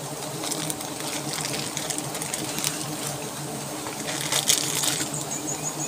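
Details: Wild forest honey bees at a large, well-hidden nest built under leaves, disturbed during a honey harvest: a steady, low droning hum with layered tones, broken by crackling rustles and brisk handling noises.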